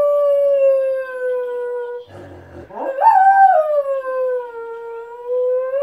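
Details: Pet Miniature Schnauzer howling at people passing by: a long, steady, slightly falling howl, broken by a low snorting rasp and a sharp rising yelp, then the drawn-out howl returns and lifts at the end.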